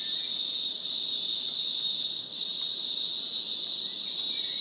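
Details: A green grocer cicada (Cyclochila australasiae) of southeastern Australia, one of the world's loudest insects, gives a loud, steady, high-pitched drone that holds without a break.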